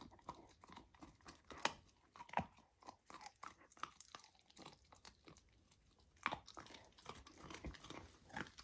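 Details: Golden retriever puppy Lilo chews raw lamb, her first taste of it, making rapid crunchy bites and wet chewing, a little over one per second and irregular, in a small quiet room.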